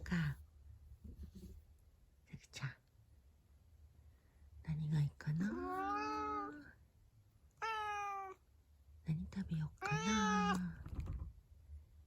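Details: Black-and-white tuxedo cat Zakio, having come to say good morning, replies to its owner's soft talk with several drawn-out meows, one with a rising start, interleaved with whispered human speech in a small room.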